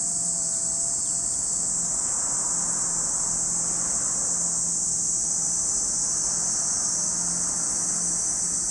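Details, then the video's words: Cicadas at Lake Kamo in Sado City, Niigata Prefecture, Japan, giving an unbroken, shrill, high-pitched drone that holds steady throughout, with a faint low hum beneath. "Lake Kamo in Sado City, Niigata Prefecture, Japan, where you can hear the voice of cicadas."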